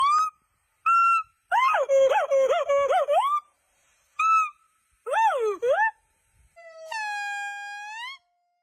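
A monkey gives clear whistled squeaks, wavering warbled squeals and a long steady whine.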